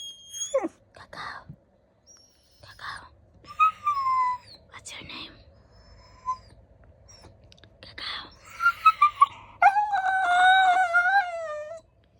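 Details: Golden retriever puppy 'talking' because it wants to go outside, giving long wavering harmonic whines, the longest near the end, between bursts of a person speaking to it indoors.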